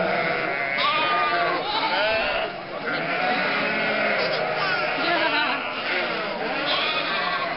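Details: Sheep, lambs and goats, almost a thousand animals, moving from winter to summer grazing through the streets of Mörnsheim, Altmühltal, Germany, on a May weekend; dense, continuous bleating with quavering cries rising above the din and voices behind.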